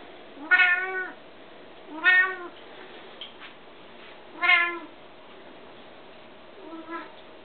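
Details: Pet Bengal cats meowing repeatedly indoors, four rich harmonic meows roughly every two seconds, the last one softer, over a low steady background hum.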